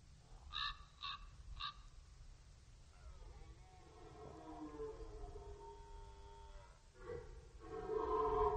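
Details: Red deer stag roaring during the rut on the Orzysz military training ground, archival recording: three short harsh barks, then a long drawn-out harmonic roar wavering in pitch, and a second roar rising toward the end against low rumbling background noise.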